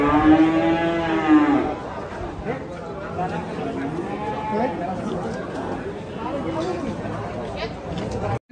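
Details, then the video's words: A cow that slipped and broke its leg, in pain, gives a long loud moo with a stacked harmonic tone in the first second and a half, followed by a busy crowd of people talking and shouting. "SAPI KEPLESET BIKIN KAKI PATAH"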